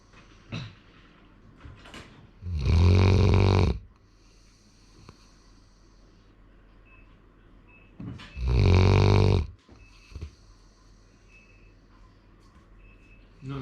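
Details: Sora, a male Labrador Retriever born in 2019, snoring in a quiet room: two long, deep, grating snores about five and a half seconds apart, with soft breathing and small rustles between them.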